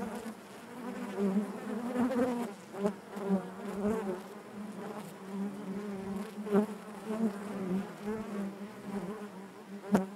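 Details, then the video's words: Natural buzzing of a honey bee colony inside the hive: a steady low-pitched hum with overtones, undulating volume, scattered wavering tones from single bees and a sharp tap near the end. "bees therapy hive natural buzzing sound"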